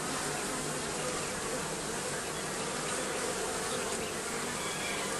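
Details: Bees under the roofing, a dense, steady buzz of many insects humming together without pause, with a low droning band and a broad hiss across the upper range.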